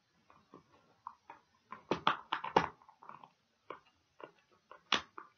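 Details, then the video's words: A dog chewing a pig ear for ASMR. Loud crisp crunches come about twice a second, a heavy cluster of snapping bites in the middle, then scattered lighter clicks. "Dog Chewing Pig Ears"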